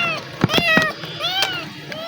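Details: Black kitten, hungry after running from the gate to a person it befriended the day before: a short meow and a fainter second one beneath a man calling and outdoor noise.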